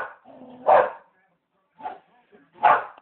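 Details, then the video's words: Indoor Samoyed barking at the TV, two strong barks and a softer one between, overlapping a short burst of television speech at the start. "Samoyed Barking at TV"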